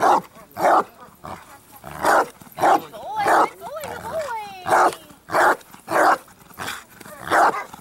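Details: Achilles the Bandog, 4.5 years old, training on 25 August 2014 to build up strong barks: steady deep barks at half-second intervals, broken briefly by a handler's voice.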